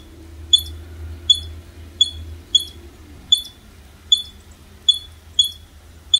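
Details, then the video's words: A female squirrel, fed twice daily, gives sharp, high chirps nearly every second one morning, chirping furiously because her food is slow coming; she stops once it is put out. "Chirping squirrel"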